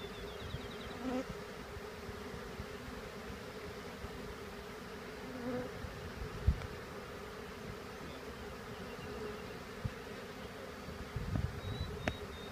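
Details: Honeybees from a swarm shaken into a hive, marching in after two little shakes; a constant humming drone persists, broken by occasional soft knocks and brief louder bumps of handling.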